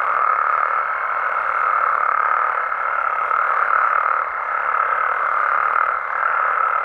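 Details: A nocturnal chorus of Mexican frogs and toads: a steady, dense mid-pitched croaking hum with a faint sustained higher tone running throughout and soft pulses of loudness about every couple of seconds.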